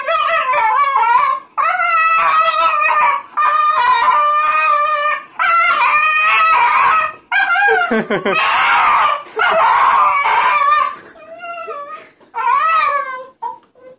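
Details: Female Staffordshire Bull Terrier reacting excitedly to being asked for walkies, producing a long series of drawn-out, wavering howl-like yowls in bursts of one to two seconds, with a man's voice mixed in.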